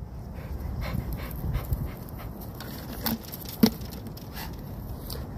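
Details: XL Pitbull dog panting outdoors, a steady run of soft breathy puffs with a few sharper clicks and light background rustle.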